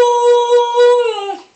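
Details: Tala, a six-month-old female Siberian Husky puppy, talking to her owner: one drawn-out, howl-like vocal, held steady and tonal for about a second, then dipping and trailing off at the end.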